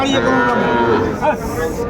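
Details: Young bulls and heifer calves at a Mymensingh cattle market, Bangladesh, 14 January 2025: a steady, tonal lowing with rich overtones fills the first second, half-buried under loud talk and crowd noise.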